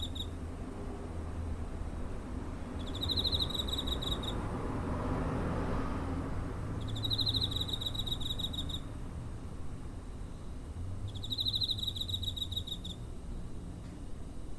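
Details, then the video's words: Cricket recorded near home on 7 September 2023 with a TASCAM DR-05: three high, pulsed chirping bursts about a second and a half long, spaced roughly four seconds apart, over a steady low background rumble. "Cricket chirping (コオロギの鳴き声"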